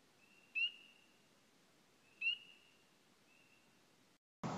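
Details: Spring peeper on Signal Mountain, Tennessee, a frog of places with trees and water, heard February through summer and best in early spring, giving clear, high, upward-slurred peeps about a second and a half apart.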